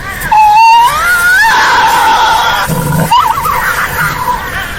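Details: Tasmanian devil call. A loud squealing wail climbs and bends, then gives way to a quick quavering scream, with harsh noise beneath the whole cry.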